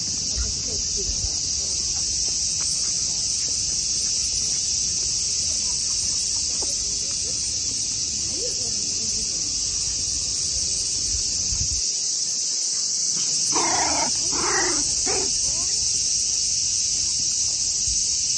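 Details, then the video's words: Unwavering high cicada drone throughout, interrupted near the end by three brief squeal-like bursts in quick succession. "Buzz of a cicada"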